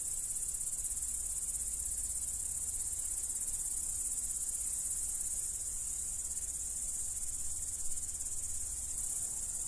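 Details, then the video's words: Crickets from the Dominican Republic singing in a continuous shrill chorus, a constant high buzzing drone that does not pause, over a soft low background hum. "Celestial Cricket Sounds"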